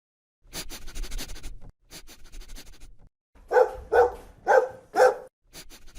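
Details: Dog barking angrily: rough rustling and scraping noises, then four strong, evenly spaced barks in quick succession, about two per second, followed by more rustling.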